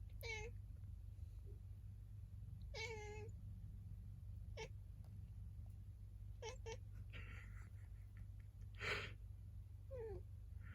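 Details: Domestic cat that talks back, apparently complaining, whenever someone sneezes: short sharp meows and a longer drawn-out one, spaced irregularly over ten seconds, with a loud broadband burst near the end over steady low hum.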